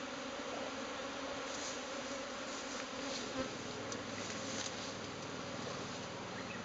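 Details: Japanese honeybee swarm dispersing from its cluster and heading to a new home; a quieter, even hum of many wings spread across a broad hiss-like background, without distinct close passes.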